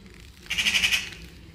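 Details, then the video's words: Caracal giving a 'kerr' call in reaction to birds: a single half-second burst of rapid, pulsed, high-pitched chattering that rises quickly and fades, with quiet background before and after. "Floppa Adolf Kerr to Birds : Caracal"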